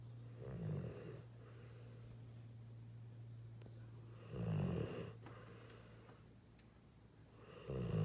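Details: A sleepy Pitbull/Mastiff dog snoring indoors with his eyes open; deep, rasping snores with a low rumble come at roughly four-second intervals, three bursts in all, with a steady low hum running underneath between breaths.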